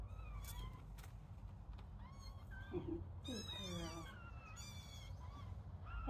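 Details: Little kittens at play, giving several thin, high-pitched meows that arch up and fall, scattered through a quiet background with soft low rumble.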